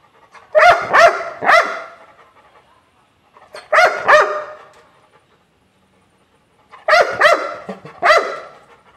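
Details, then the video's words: Labrador Retriever barking angrily in three bursts, each of two or three rapid harsh barks, separated by pauses of about two seconds of quiet. "Angry Labrador barking sounds"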